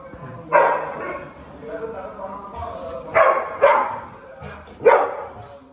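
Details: During Sunday play, a Labrador retriever gives four loud, sharp barks, two close together, while a person quietly tells it to sit between them.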